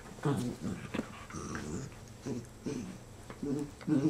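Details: Two black and tan dachshund brothers, Manny, 4, and Franky, just over 1, rescued from Georgia, grumble and 'talk' indoors once tired of wrestling: low, rough growl-like bursts in quick uneven runs, with a person speaking softly.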